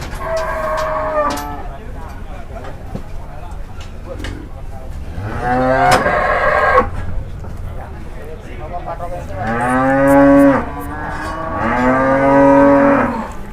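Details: Raging cattle in Indonesia draw a watching crowd while people prepare ropes in case a cow leaps. Three long, rich bellows, each swelling then fading, follow a short opening moo, with scattered knocks and distant voices.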